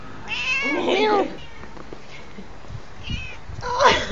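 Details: Cats in a fight: a drawn-out, wavering yowl with strong harmonics rising and falling for about a second, then quieter moments and another harsh wailing yowl near the end, Spanish-speaking voices faint in the background.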